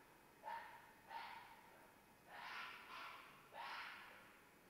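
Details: Mating-season red fox giving short hoarse yelping screams, two brief cries about a second apart, then longer rasping screams in a broken series, against a hushed night-like background.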